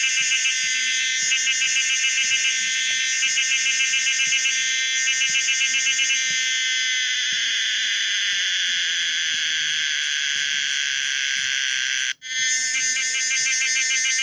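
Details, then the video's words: Pomponia linearis cicada, the common cicada, singing: loud, dense high buzzing with rapid pulsed bursts in the first half, then a steady sustained drone, briefly cut off near the end before resuming. "the weird sound of the common cicada pomponia linearis"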